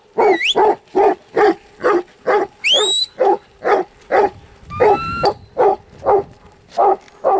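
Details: Huntaway giving a regular series of loud, deep barks at a steady pace, with brief rising whistles near the start and middle.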